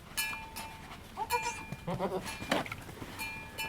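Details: Goats bleating at Needham Goat Farm as Halley Berry gives birth to triplets, the second kid just born. Several drawn-out, steady-pitched bleats and a quick shaky one, broken by sharp clicks and knocks of movement.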